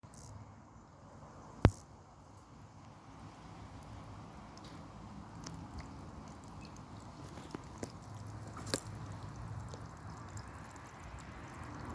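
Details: Low, steady rumbling background noise with a few sharp isolated clicks and taps, and no clear animal calls.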